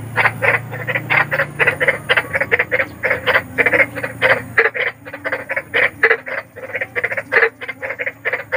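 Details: Night chorus of big frogs in the wild, rapid pulsed croaks repeated steadily about three times a second, loud and harsh, with a low hum in the first half.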